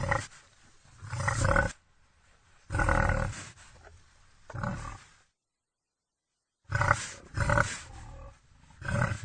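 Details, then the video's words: Rough, throaty wild boar calls in clustered bursts, two short groups, then a long silence, then a fresh run of harsh grunts near the end. "Wild boar sounds Wild boar sound effect"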